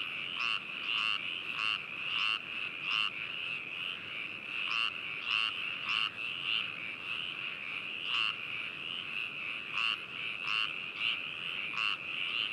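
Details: Chorus of frogs in Hakushu, Hokuto, Yamanashi, Japan, binaural recording from 4 May 2018; dense overlapping croaks repeated about twice per second over a constant trilling background, no other sounds.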